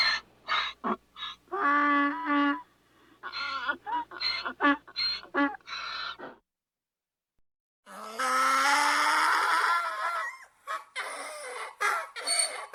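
A donkey brays in harsh, wheezing bursts, then gives one long, strained, rising cry.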